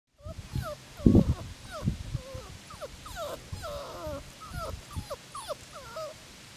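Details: Six-week-old Labrador Retriever puppies whimpering and whining: many short, high, curved squeals that rise and fall, overlapping in quick succession throughout, with a few low thumps and bumps underneath.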